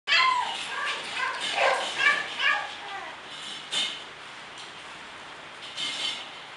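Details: English Bulldog from a breeder: a few high, wavering whines and yelps in the first three seconds, then fainter short cries against a quiet background.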